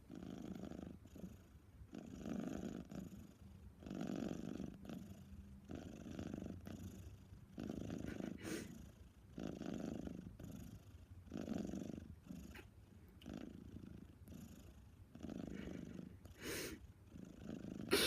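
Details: Female cat Lil Ana snores while recovering from desexing, with soft, throaty rasps rising and falling roughly every 1.3 seconds and a few faint clicks late in the recording.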